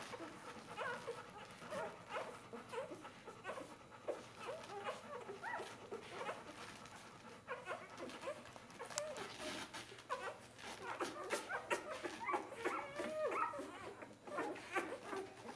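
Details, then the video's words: Four-day-old Bernese Mountain Dog puppies jostling at their mother's teats; many short squeaky whines and whimpers overlap steadily, some rising, some falling, with soft snuffling between them. "Berner Sennenhund Welpen 4 Tage alt"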